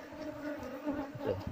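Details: Wild Asian honey bees, Apis cerana, at their wild hive during a honey harvest, a colony said to be fierce and to sting intruders; a steady droning hum holds two even tones throughout, with soft low thuds near the end.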